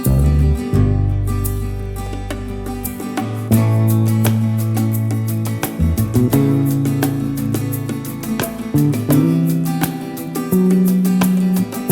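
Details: Strummed acoustic guitar music with a steady low bass line; no animal sounds are heard.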